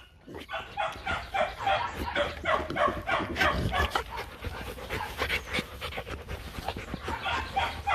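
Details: Young Rottweiler siblings Nina and Nano playing together at the Rottweiler Gervi kennel. Heavy rhythmic panting runs throughout, about three breaths per second, with occasional whimpers.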